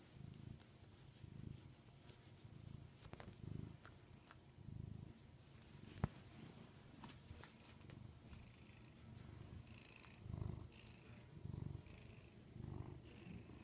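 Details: Rudy, a pet cat kept indoors, purring: a low, steady rumble that swells and fades in repeated pulses about once a second, with faint higher mewing tones near the end and soft rustling.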